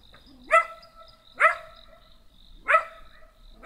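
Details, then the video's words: Small black dog giving short, sharp barks that start low and jump upward, three to four barks spaced roughly a second apart with quiet gaps between. "Tried to talk to a dog"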